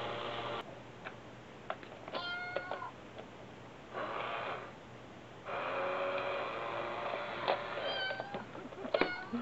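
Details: Brother and sister cats in Osaka, Japan, indoors, playing with a cat coin bank and pushing it; short harmonic meows, one early and several near the end, between bursts of scraping and rattling noise from the bank.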